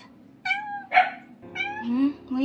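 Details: Days-old newborn kitten, from a litter of five whose semi-homeless mother kept carrying them to a garbage bin, crying for help during a rescue indoors: three quick high-pitched harmonic meows, then a woman speaking softly in a low voice.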